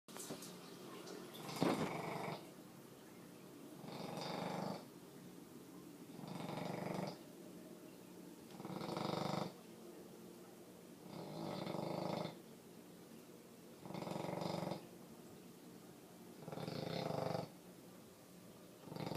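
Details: A sleeping female bully dog snores steadily, each loud rasping breath lasting about a second and recurring roughly every two and a half seconds, with quiet pauses between.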